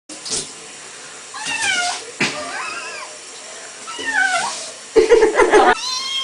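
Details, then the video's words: Small cat trapped inside a bath and trying to escape as water comes in: several plaintive meows with wavering, bending pitch, spaced through the clip, with bathroom background noise. "Cat in bath...trying to escape..."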